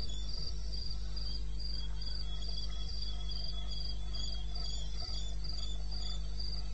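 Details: Nighttime cricket call at 02:30 AM, 21 May 2016, in wild eastern Botswana: rhythmic high-pitched pulses, slightly slower at roughly three and a half per second, evenly spaced over a persistent deep background drone.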